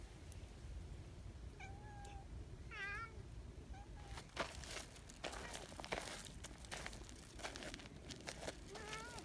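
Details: Community cats, a large black boss cat and a tuxedo cat, lined up to greet their visitor; several short rising-falling meows with clear harmonics, a wavering meow near three seconds, then rustling and handling noises over low background rumble.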